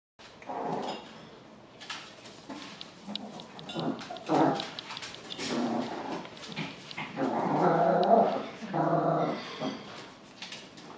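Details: 8-week-old Golddust Yorkshire Terrier puppies, two of them, make small squeaky growls and high yips in short, irregular bursts.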